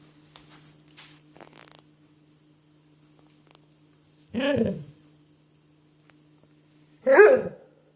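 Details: While playing with an apple, the dog Cruz lets out two deep, rough barks roughly three seconds apart after a few soft rustles, in a quiet room with a faint steady hum.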